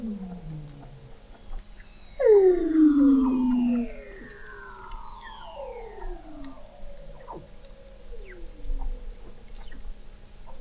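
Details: Weddell seals under thick sea ice in McMurdo Sound, Antarctica, November 2017, captured by the McMurdo Oceanographic Observatory 21 m below the ice: a loud, long descending whistle glides downward, layered with several fainter falling sweeps and scattered clicks.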